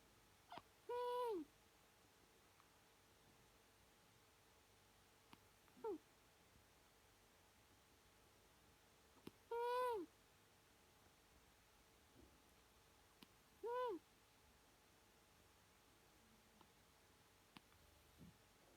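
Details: Sleeping cat named Kisa snoring in her own way: four short, arched, whistle-like nasal tones with bright harmonics, each about half a second long and spaced roughly four seconds apart, over a quiet room hush.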